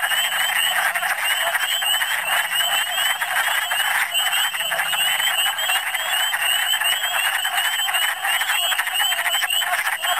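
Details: Many wood frogs calling together in Michigan in spring, their hoarse, duck-like clucking blending into one unbroken roar, while higher, sweeping chirps repeat steadily above it for the whole stretch.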